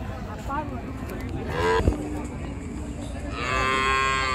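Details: Cattle being unloaded from the river side at a busy village cattle market: a short lowing moo midway, then a longer, steady, drawn-out moo, over constant crowd and outdoor noise.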